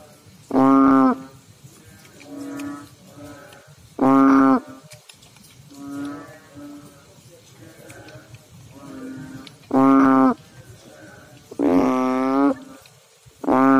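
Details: Frog calling in water, giving short, deep, droning notes with a wavering buzz, spaced irregularly, louder bursts alternating with softer answering calls in the background.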